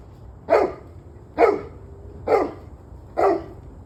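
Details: Dog barking, recorded on 21 November 2023 at 7:06 pm: four short, sharp barks evenly spaced about a second apart, each a loud harsh burst with a quick drop, over a low, steady background hum.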